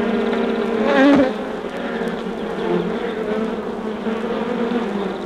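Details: Undisturbed honey bee hive, taken from a vinyl recording: continuous low buzzing drone, with one nearby bee passing close for a louder wavering buzz near the start before the even hum resumes.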